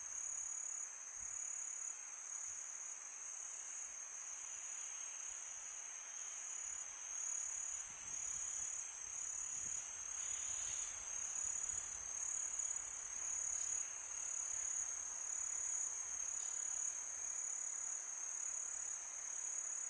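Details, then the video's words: Crickets at night on a peaceful summer night: a steady, very high-pitched continuous trill with a paler band just above it, over soft wind-like hiss that swells briefly around the middle. "Crickets sound for meditation"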